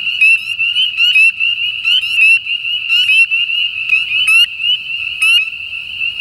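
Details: Spring peepers (Pseudacris crucifer) calling in Southern Louisiana, where they breed in winter: a dense shrill sustained tone overlaid by clusters of sharp upward-sweeping peeps roughly every second, loud and close; faint low background noise.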